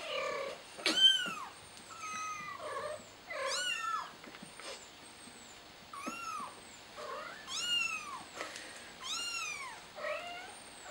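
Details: Trapped kitten on a flower pot cries without pause, a string of loud, harmonic meows that rise then drop, some strained and piercing, each about half a second long, with faint high chirping behind.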